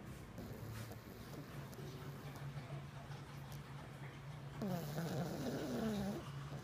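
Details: Sleeping jug puppy named Pishu snoring: steady low buzzy rumble of breaths, then a rising, wavering whistle-like squeal from the nose during an exhale near the end.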